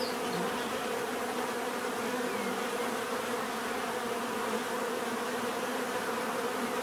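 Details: A natural bee buzz forms an even, unbroken hum. Low droning tones hold steady throughout, with a soft airy hiss behind, and a brief higher whine near the start.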